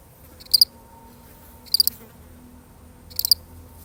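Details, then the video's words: A solitary cricket gives three bright, high-pitched chirps in a few seconds, each a tight cluster of two to three rapid pulses, separated by long quiet gaps over faint low hum. "The sound of one lonely cricket"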